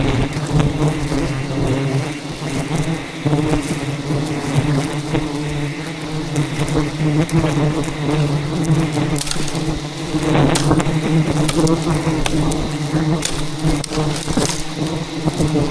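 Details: Thousands of aggressive wild bees swarm to defend their giant hidden rainforest hive during a honey harvest: a dense, low droning hum with wavering overtones fills the whole stretch, with sharp clicks and rustles of handling throughout.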